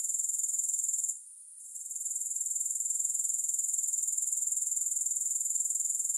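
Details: Grasshopper sound as a thin, piercing, high trill with an even rapid pulse of roughly four per second, briefly fading out once before resuming steadily.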